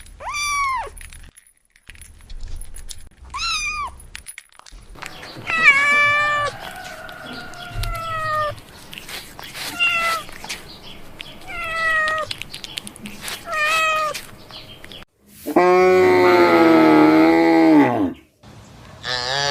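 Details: Kitten crying while playing, giving a run of short meows, some rising then falling, others long and level, ending in a louder, harsher wavering cry; brief thumps and quiet gaps between calls.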